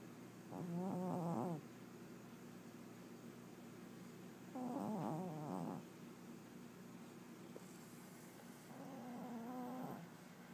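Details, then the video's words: A 21-year-old pet cat napping indoors, snoring in three slow breaths about four seconds apart, each a soft rattling, purr-like rasp lasting roughly a second, quiet overall. "Whiskers Snoring"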